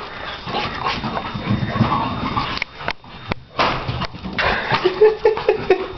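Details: Donna the Shar Pei at play inside: low grumbling and snuffling, a few soft huffs, then a high thin whine repeated several times near the end, with clattering and movement noises.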